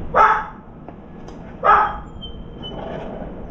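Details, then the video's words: Pair of sharp dog barks about one and a half seconds apart, recorded while a round-foreheaded crow visits a veranda, followed by a faint thin whining tone. "강아지 짓는 소리"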